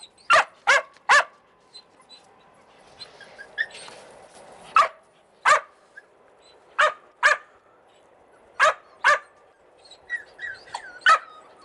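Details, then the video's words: Several Australian Cattle Dog puppies in Slovakia bark in sharp, high, clipped yaps, often in pairs or triplets separated by quiet gaps, with faint whines and soft squeaks in the background. "Australian Cattle Dog PUPPIES"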